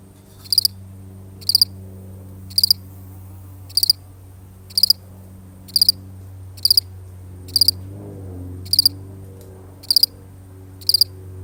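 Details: A single cricket, recorded for real, chirping eleven times in a regular rhythm; each chirp is a brief high triple pulse, roughly a second apart, with a steady low hum and a brief soft rustle midway.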